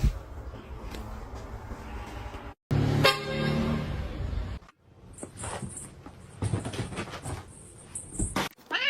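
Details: Domestic cat in a funny-cat compilation, giving a drawn-out harmonic meow that falls in pitch, between abrupt cuts. Background noise, a low rumble and a brief silent gap surround it.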